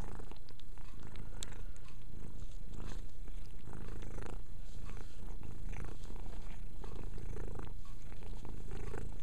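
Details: Purring from a house cat called Mia during self-cleaning; a constant low rumble under brief rustles and soft licks, with one sharp click early on.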